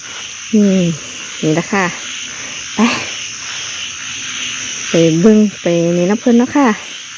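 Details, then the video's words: Frogs at night, with loud nasal, harmonic croaks in short bursts, some paired, a few per second in clusters separated by gaps, over a steady insect hum. "อึ่งเผ่า อึ่งยาง"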